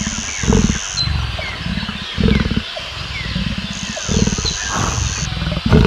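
A lion gives a series of deep, rumbling grunts, each burst about half a second long, coming in quick succession. A faint high, steady whine is heard at times.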